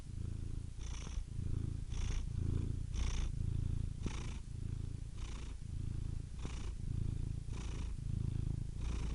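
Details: Cat purring continuously, a deep pulsing rumble alternating with softer breathy phases about every second, each breath carrying a faint hiss on top.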